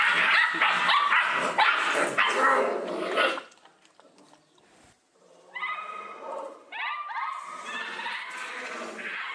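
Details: Eleven puppies crowd a single food bowl and squabble over it: a dense burst of overlapping yelps and snarls for about three seconds, a short lull, then high, wavering whines and yips, with a person shouting nearby.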